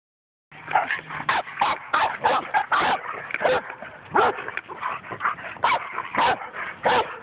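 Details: German Shepherd behind a fence, brought out by its owner whenever a neighbour walks past along the street; rapid, repeated loud barks, about two per second, continuing throughout after a brief silence at the start.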